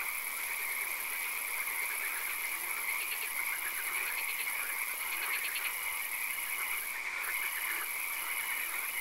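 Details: Frogs calling in a swamp at night with occasional rain: bursts of rapid, clicking pulse trains rise over a steady, high, ringing chorus that fills the whole background.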